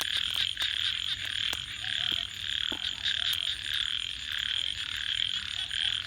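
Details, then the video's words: Frogs at night beside a fire give an unbroken high trilling chorus that swells and fades slightly, mixed with frequent crackling pops from the campfire. "Crackling Fire 🔥 and frogs 🐸 Sounds"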